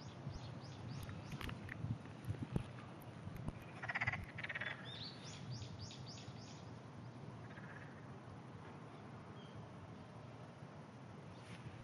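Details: Several frogs calling far off on a clear early morning, 27 June 2009; faint rough croaks pulse in a short burst midway, with high bird chirps and a steady low rumble around them.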